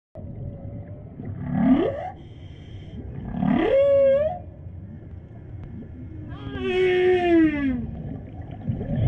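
A whale gives a series of rising, moaning calls, some ending in a wavering, voice-like warble.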